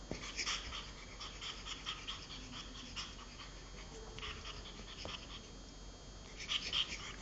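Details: Pug Giulia at play with her toy pig: short breathy snorts and pants come in uneven bursts, with a louder squeaky flurry near the end against a low constant hum.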